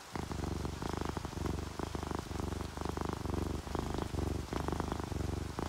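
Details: Sleeping orange tabby and calico cats purring in a relaxed state; strong low rumble beating in regular pulses about twice a second, each breath a rising then falling buzz, faint rain hiss underneath.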